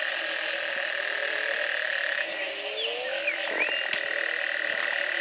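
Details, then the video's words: Frogs after a single night of rain that broke a three-month drought, Community Baboon Sanctuary, Belize, 2010, morning: a thick droning, buzzing chorus with a few gliding low calls and brief clicks. "Frog calls galore"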